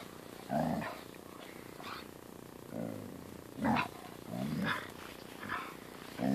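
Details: Angry Siberian Husky while a German Shepherd puppy plays with it: short rough growling grumbles in bursts, about seven within six seconds, separated by brief pauses.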